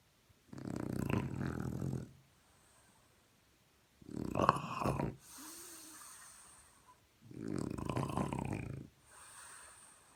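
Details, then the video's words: Morning snoring of a French Bulldog: three loud, gravelly inhaled snores roughly three seconds apart, each followed by a gentle wheezy, whistling out-breath. "Французский бульдог. Утренний храп"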